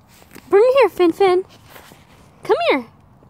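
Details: Captive rescue red fox with a new toy makes harmonic whining calls that arch up then down. Three come close together, then a pause, then one more drawn-out whine.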